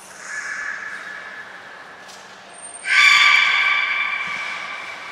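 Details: Belugas named Hodoi, Gray, Nana and Niko during training at Port of Nagoya Public Aquarium, 5 June 2021: a faint harmonic squeal, then a louder sustained buzzy harmonic call with rich overtones after a pause.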